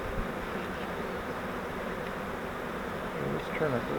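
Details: A trapped honeybee swarm, caught in a custom flowerpot swarm trap and moved into a Langstroth hive, gives a steady massed buzz, slightly swelling near the end, with a man's voice briefly audible.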